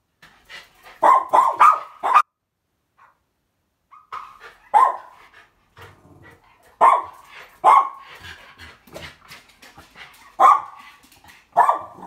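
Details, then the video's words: Two Japanese Spitz dogs barking while begging for treats, giving bursts of sharp, mid-pitched barks in quick clusters, several short yips together at first, then single and paired barks every second or two with brief pauses between. "Japanese Spitz Doggies Barking for Treats"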